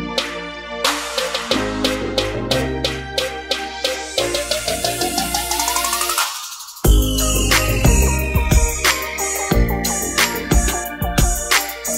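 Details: Upbeat instrumental music with a steady beat and a rising synth sweep plays throughout, with no animal sounds.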